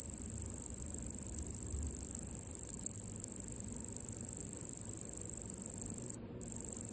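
A cicada gives a steady, piercing high-pitched whine that barely wavers, breaking off briefly once.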